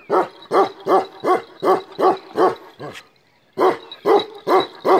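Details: A black male Kashmiri Eksaya, Himalayan livestock guardian breed, barks rapidly in a quick regular series, stops for under a second, then resumes with four more loud barks.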